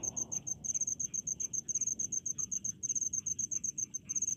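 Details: Cricket in Indonesian rice fields, a relaxing countryside ambience: rapid high-pitched chirps pulsed about six per second in short bursts, brief pauses between trains, faint lower insect buzz and soft background hiss.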